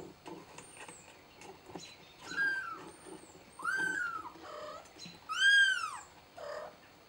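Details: Kitten calling for help, giving three rising-falling meows that grow louder toward the end, mixed with clicks, rustling and a faint thin whistle.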